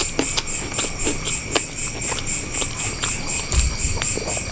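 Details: Crickets at night during a quiet village meal: a steady, high-pitched pulsing chirp repeating several times a second, with occasional soft clicks and eating sounds underneath.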